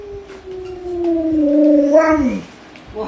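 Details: Alaskan Malamute named Luoluo, a pet doted on by grandma, howls a long mid-pitched tone that slides slowly downward for over two seconds, then breaks off with a brief rising yelp; voices talk around it.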